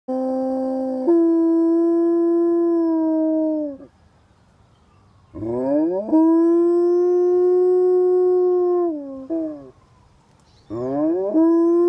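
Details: Alaskan Malamute named Toby, a foster dog available for adoption, howling on May 24, 2015. Three long, rich, steady howls of about three to four seconds each, some starting with a sharp upward slide and ending in a falling dip, separated by brief pauses.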